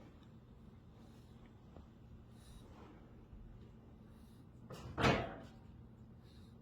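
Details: A quiet indoor room hums softly until a single loud thump, like a door slamming, breaks the stillness; no animal is heard.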